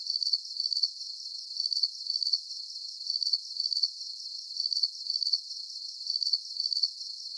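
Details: Crickets in a calm night soundscape meant for sleep: high, shrill pulsed chirps in short bursts, about two bursts a second, steady and even throughout, with no other sounds and nothing low-pitched.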